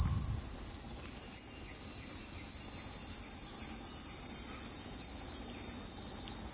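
A Kaempfer cicada sings a steady, high, hissing drone that never breaks.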